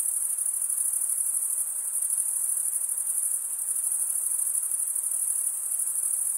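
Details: Steady chorus of chirping crickets, a piercing high trill with a slight rhythmic flutter, constant in loudness from start to end, no other sounds apart from a low soft hiss.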